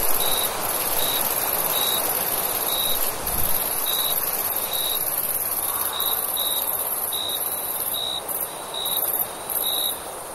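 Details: Summer night crickets give evenly spaced short chirps about once a second over a constant high-pitched trill, while a faint low rumble, possibly a passing vehicle, rises briefly midway.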